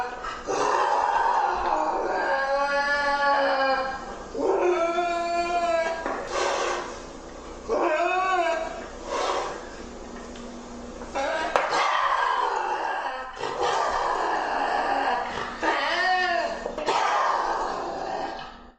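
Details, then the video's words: Lynx yowling in a long series of wavering, arched, harmonic cries, some rising and falling like moans, separated by short gaps and rougher, noisy growled passages. "Tunog ng LYNX | Sound of a LYNX"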